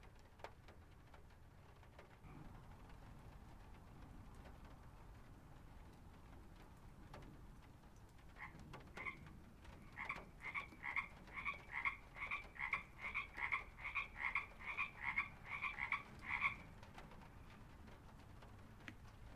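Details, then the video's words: Frogs at a pond in a field recording: after a quiet stretch with soft patter, a quickening run of short, bright, pulsed croaks builds for about eight seconds, then stops abruptly. "Frog Pond Field Recording"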